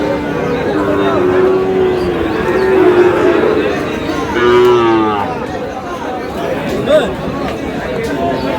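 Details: Sahiwal cattle, a young bull bought by a farmer from Meherpur at a cattle market; a few low drawn-out moos with steady pitch, partly overlapping, beneath loud crowd chatter and talk.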